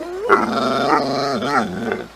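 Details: Pet dog 'talking' to its owners, one of two household dogs, giving a groaning, growly, wavering vocalization with several pitch bends, like trying to speak, between a woman's questions of 'what'.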